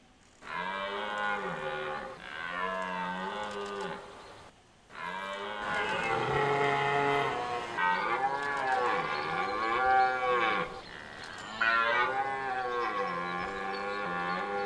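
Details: Rutting red deer in Hoge Veluwe park, Netherlands, 2023: a string of drawn-out, moaning roars, each rising and falling in pitch, one after another over about fourteen seconds with only brief breaks.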